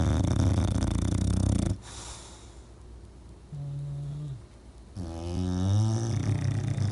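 English bulldog snoring: deep, rattling low rumbles with a brief droning hum between breaths.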